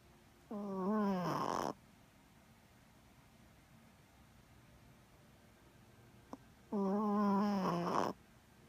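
A Chihuahua snores in two long, droning breaths with a nasal, whistling edge, about six seconds apart.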